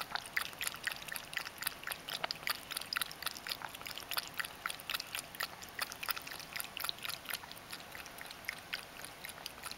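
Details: Mojio, a Ragdoll cat, drinking water indoors as part of his everyday routine; quick wet lapping clicks repeat about four times per second, steady and crisp throughout with a faint room hiss beneath.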